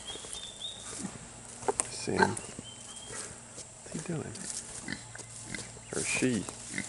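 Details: Kunekune piglets, two weeks old, with one clear rising squeaky call in the middle and softer grunts later, while a person talks nearby in a quiet outdoor setting.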